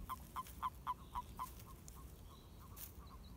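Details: During the mating season, toads produce six crisp, evenly spaced croaks about four per second, then weaker, softer calls trail off over a quiet hiss.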